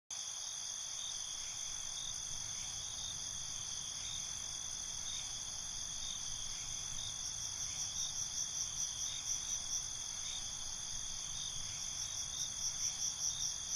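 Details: Crickets at night in a rural night ambience: a steady, dense high-pitched trilling chorus with several bands layered together, faint pulses repeating about twice a second, and a higher pulsed trill joining in the second half.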